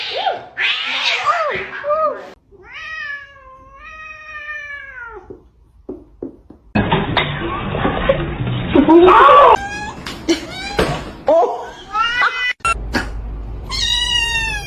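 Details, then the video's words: Domestic cat meowing: a run of drawn-out, wavering meows, some rising then falling, broken midway by a few seconds of loud rough noise, then more short and long meows near the end. "kitten meowing cute"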